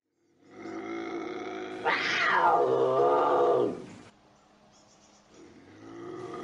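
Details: Bobcat howls in a sequence presented as a raccoon deterrent: a low, wavering harmonic yowl swells into a loud, rising scream that slides back down, then fades to a murmur before another yowl starts.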